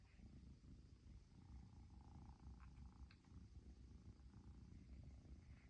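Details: Persian kitten in Japan, a long-haired chinchilla, purring after its owner finally arrived home; a quieter low rumble pulses steadily beneath a few faint higher clicks and rustles.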